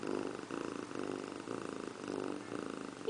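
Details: Indiana Piano Rabbit, a house cat, sits in a bathroom sink taking a bath, keeping up a continuous low throbbing purr that swells and fades, with a tiny squeak at the close.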